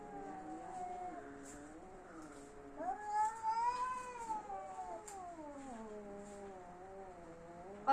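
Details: Angry domestic cats in a fight yowl in one long, sustained moan. It swells to a higher, louder wail midway, sinks to a low growling tone, then ends with a sharp click.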